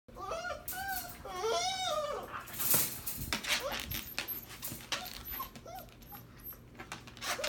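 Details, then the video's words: Husky mother and her seven-week-old puppy brawling indoors in a small room: high, arching whines and yelps in the first two seconds, then scuffling, thumps and scattered short squeaks. "Husky Mama and Puppy Brawling"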